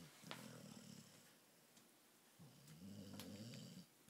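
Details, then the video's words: An awake female pit bull snores in two rasping, low-pitched bouts, each about a second long and separated by a quiet pause, with a faint high click early on. "snoring pitbull awake"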